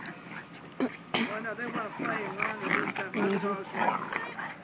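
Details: Young Corgis in rough play: a dense run of wavering growly yips and whines over about five seconds, mixed with close human chatter.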